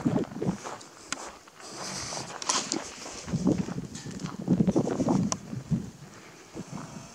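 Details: A herd of wild boar in summer, starting to forage after bathing once the afternoon heat passes, gives low, soft grunts amid trampling hooves and rustling.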